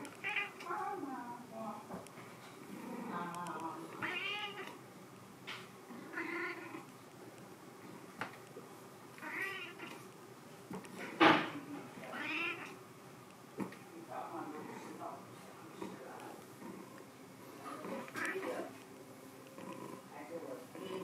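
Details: Repeated wavering meows come from Sea Cucumber, a white cat. The cries come every second or two, some of them stretched and quavering, with human voices mixed in throughout.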